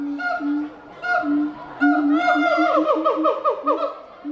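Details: Gibbon calling, marked for International Gibbon Day on 24 October: deep hooting notes alternating with higher tones, then a run of quick rising whoops that speed up toward the end.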